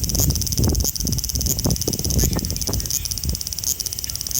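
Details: Sizzling drone of a male large brown cicada in Osaka, Japan, 5 August 2019, captured with an Xperia XZ1 phone; the high buzz swells briefly about every 0.7 seconds, with heavy low-pitched knocking and rustling noise.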